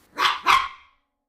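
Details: A male mini Chihuahua gives two sharp, high yaps in quick succession, then falls silent.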